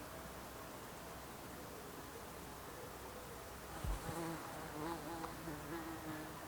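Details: Bees and other insects buzzing in the Alpstein massif mountains, Switzerland: a steady soft hum, then a closer low buzz sweeping past from about four seconds, wavering in pitch, over a quiet natural background.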